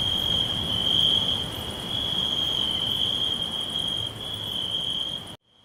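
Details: Crickets chirping all around in a green forest: a steady, shrill high trill forming a continuous band, softly pulsing, with faint higher buzzing above and low rustling noise beneath; the chorus cuts off abruptly near the end.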